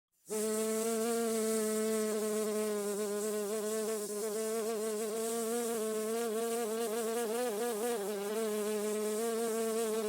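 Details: A bee buzzing in a garden: after a brief silence, a steady, smooth drone begins with a rich stack of harmonics and a gently wavering pitch that continues without a break. No other sounds.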